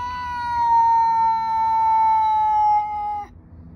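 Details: Outdoor tomcat in a standoff with another male, never actually fighting: a sustained, even yowl lasting about three seconds, strong and tonal with stacked overtones, ending abruptly; low background rumble.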